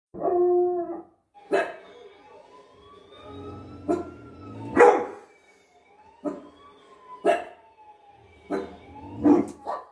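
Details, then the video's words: A 6-month-old UKC pit bull terrier, barking at dogs seen on TV, gives a whiny opening yelp, then a series of sharp, irregular barks. "Floki the 6 months UKC Pitbull barking seeing dogs at tv 🐕❤️😅"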